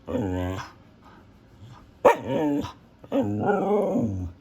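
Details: A female Siberian Husky gives drawn-out, wavering vocal moans, the rising and falling talking howls typical of the breed.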